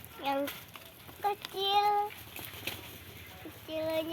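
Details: Goats on a farm, playing and eating: three short harmonic bleats, the middle one longest and steady, the last wavering slightly, separated by quiet gaps with faint rustling and outdoor background.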